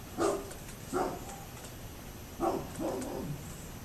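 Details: A neighbour's dog barking at a distance: four short, hoarse barks in two pairs, separated by a brief pause, over a steady low background hum.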